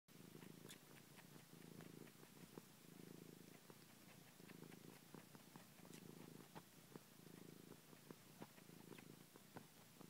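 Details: Cat purring while sucking on a person's finger indoors, a low rumbling purr in regular pulses roughly every second and a half, with soft wet clicking sucking sounds throughout.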